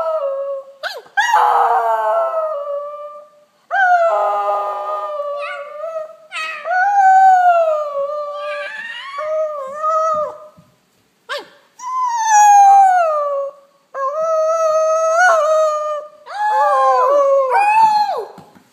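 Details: A female Fox Terrier howls with her pack in her daily howl, giving long, wavering, rising and falling notes with brief pauses between each drawn-out cry.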